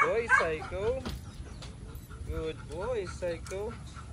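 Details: Male Belgian Malinois Psycho whining during training: thin, high, nasal whines that rise and fall in short arched notes, repeated irregularly. Human speech and background noise run underneath.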